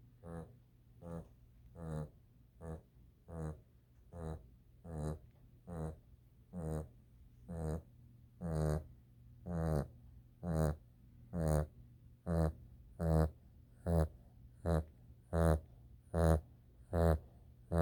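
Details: Snoring from Reggie, a dog, inside a small room: short, raspy, rumbling snorts in a steady train of about seventeen, one every second or so, growing louder toward the end over a low background hum.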